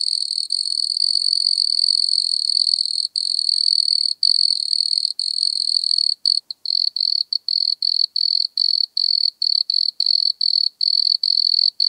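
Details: A wood cricket (Nemobius sylvestris) sings a high, steady purring trill breaking into quick, evenly spaced chirps; Altenberg, Austria, 9 August 2022, noise-reduced recording.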